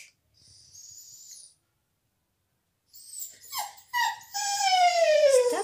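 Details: Bella the dog, shut out of the salon during a visitor's stay, cries with a thin, faint squeak, then breathy yelps building into one long, loud whine that slides steadily downward.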